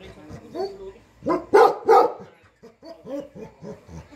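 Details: Bhote Kukur, the Tibetan Mastiff of Nepal kept as a herding guard dog for house and farm, lets out three loud, deep barks, followed by softer repeated rising-and-falling vocal sounds.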